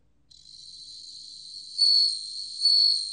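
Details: Bell cricket song from a 2020 National Institute of Biological Resources recording: a steady, ringing high-pitched trill fades in, then swells sharply into two louder bell-like surges about a second apart, with no other sounds.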